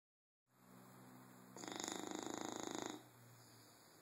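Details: Sleepy bulldog snoring: one long rasping, buzzy snore of about a second and a half rising out of quiet room hiss, with a fine rapid flutter running through it.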